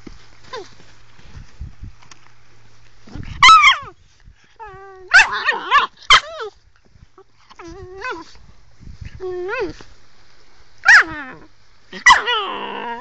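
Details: Angry Sloughi puppy, a female pet, producing scattered high, bending yips and short barks amid quiet background noise, growing louder toward the end with a strained, whining final call.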